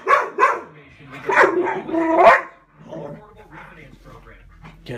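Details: Pit Bull play fighting: a run of sharp, harsh barks in quick succession during the first two seconds, then quieter voices talking indoors.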